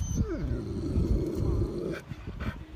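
A Rottweiler gives deep, throaty groans and whines, an emotional greeting for arriving friends.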